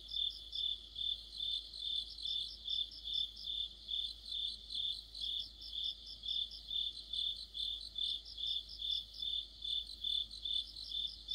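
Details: Crickets chorusing with other insects in the depth of autumn. A bright, high chirp repeats evenly, roughly two or three times a second, layered with a fainter, higher, fast-pulsed trill from another insect.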